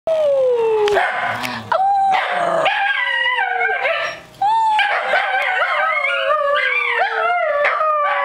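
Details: Two Scottish Terriers howling together, prompted by their sister, at a cottage: long wavering tones that slide downward, overlapping voices rising and falling, with a brief break near the middle before the chorus resumes.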